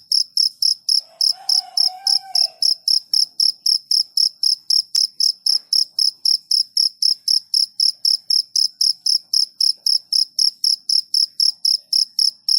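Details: Cricket chirping in a fast, steady rhythm of high pulsed notes about four per second; a faint lower warbling sound appears briefly near the start, and a single soft click occurs later.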